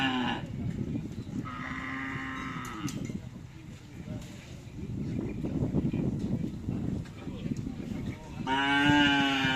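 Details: Cattle at a karapan sapi (bull racing) training session on the Asemanis field in Pamekasan. Deep harmonic moos open the clip, come again in the middle and return loudly at the end, over a steady murmur of crowd chatter.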